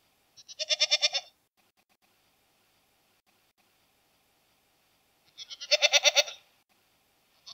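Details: Goat bleating twice, each call a harsh, quavering, pulsed cry under a second long, the two set about five seconds apart with silence between.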